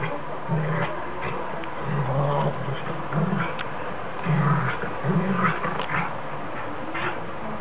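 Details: A 19-week-old Alaskan Malamute puppy playing with an adult Rottweiler for the first time in 13 weeks: low rumbling growls in repeated short bursts, about one per second, with scuffling noise throughout.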